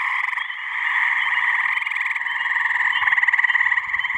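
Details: Male gray tree frogs (Hyla versicolor) in a spring breeding chorus at a New Hampshire pond on a warm mid-May evening. Overlapping trills pulse rapidly throughout, and a clearer, close trill builds near the end.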